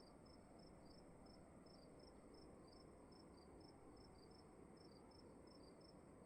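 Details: Chirping crickets indoors: quick high-pitched pulses repeating steadily, two callers trading notes a little apart in pitch, with continuous low hum and hiss underneath.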